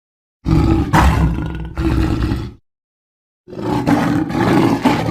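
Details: Lion roaring: two rough, deep, broadband bursts about two seconds each, separated by a cut of complete silence, with strong low rumbling energy and harsh grating texture.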